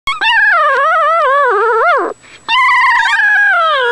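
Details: Newborn puppies nursing give long, eerie, wavering whines that rise and fall in pitch, rich in harmonics, breaking off briefly midway before a steadier, slowly falling whine resumes.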